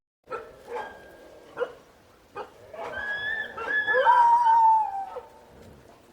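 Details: Dingo: several short yips and barks lead into a rising, wavering howl that holds a steady tone and then slides slowly downward, with overlapping voices beneath.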